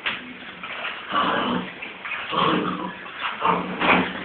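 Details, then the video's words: Transylvanian Hound puppies making soft whimpering and yelping sounds, several short tonal cries rising and falling around one to two seconds apart, with some faint background voices and indoor rustling. "erdélyi kopó kölykök"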